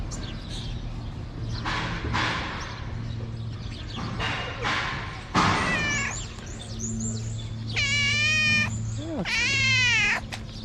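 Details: A hungry tabby cat in Morocco talks to its carer. At first there is rustling and a person speaking; then come two drawn-out, wavering meows about two seconds apart near the end, over a low background hum.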